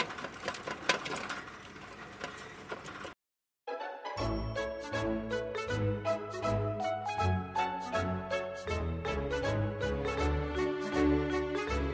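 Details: Rattling mechanical noise gives way after a short silence to a rhythmic, plucked-sounding music track, with no animal calls heard.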